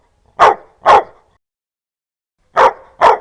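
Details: Harsh, loud dog barks in two quick pairs separated by about a second and a half of silence.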